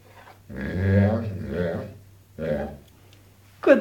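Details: Zed, a dog that is said to say "mamma", gives two drawn-out, moaning, voice-like vocalizations rich in harmonics. The first is long and wavering, the second shorter, and a sharp click closes the sequence.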